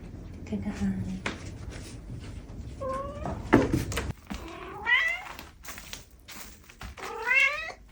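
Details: Adopted ex-stray house cat, estimated four years old, letting out three drawn, sliding meows spaced a couple of seconds apart amid quiet indoor rustling and a few soft spoken words.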